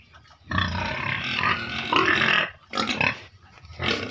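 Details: Caged pigs kept to earn money for a family, giving loud broadband squealing grunts, one long burst of nearly two seconds followed by shorter squeals.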